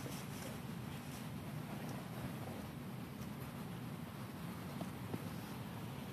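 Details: Continuous outdoor wind rumble buffeting the microphone, broad and hissy throughout, without any animal sound.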